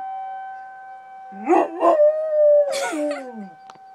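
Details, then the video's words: Dog howling at a tornado siren; a rising wavering howl holds a steady tone, then slides downward, over the siren's constant high drone. "howling at the tornado siren"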